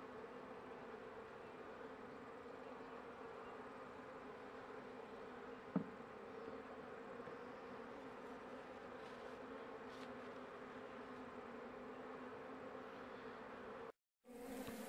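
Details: Few honey bees left in a struggling hive near the end of winter, the queen wandering on the frame; a steady low hum runs on, one sharp tap midway, then a brief cut to silence before the hum returns.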